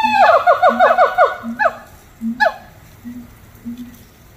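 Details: Little Rock Zoo monkeys singing: a fast accelerating run of bouncing, falling hoots, then two louder sliding calls with gaps, and short low hums repeating in between.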